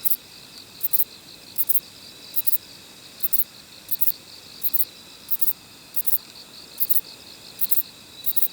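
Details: Short-winged Kobane-himegisu bush cricket calling near a park in Niigata, Japan, not inside the park: bright high-pitched buzzy bursts repeated about every 0.7 seconds in a steady rhythm, over faint background hiss.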